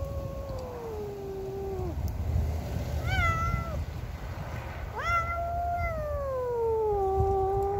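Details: Domestic cat named Cassey yowling at a neighbour's cat entering her territory: long, drawn-out falling wails, one at the start, a short rising-falling cry near three seconds, then a loud sliding howl from five seconds, over low rumbling background.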